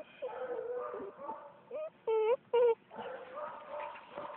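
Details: Male UKC-registered Bluetick Coonhound puppy in Philipsburg, Pennsylvania, of old-time Vaughn and Minisink bloodline, giving three short, clipped, sharp yips in quick succession midway through, with a person talking around them.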